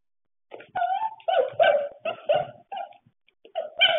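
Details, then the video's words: Pembroke Welsh Corgi at play, giving short, clipped, high yipping barks in quick bursts with brief whiny edges, separated by short pauses, with a final burst near the end. "corgi playing"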